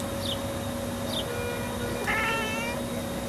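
A cat chirps at birds: two quick, high, falling chirps, then a brief, trilling chirp about a second later, over a steady low hum.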